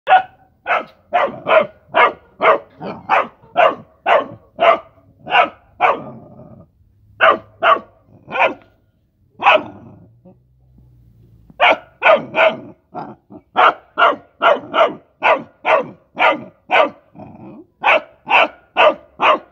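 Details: A Rottweiler puppy playing with mice barks in rapid, sharp bursts, pausing briefly before starting again.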